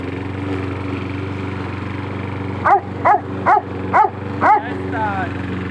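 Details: Doberman barking: five sharp, loud barks about half a second apart, heard over a steady low mechanical hum that fills the whole recording.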